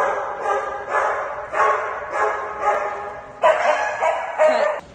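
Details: Sky, a fluffy male Shih Tzu, barks excitedly on hearing he is going to Dog Dayz daycamp; sharp barks repeat about every half second, in bursts of varying loudness.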